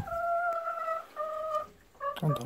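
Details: Kohaku or Ibu, Golden Retrievers out for morning free time in a field; two clear sustained whines, then a shorter broken one, ending with rustling and a voice.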